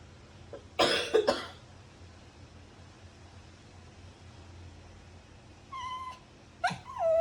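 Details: A dog gives a few harsh, cough-like bursts, then after a quiet pause two short, tonal whines with clear overtones. The second whine dips and then rises. A low hum runs underneath.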